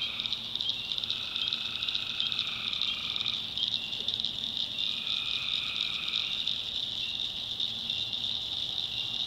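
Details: Tree frogs calling at night in a North Carolina swamp in the backwoods: a dense, steady high-pitched chorus with long sustained trills starting and stopping at two lower pitches, over a faint low hum.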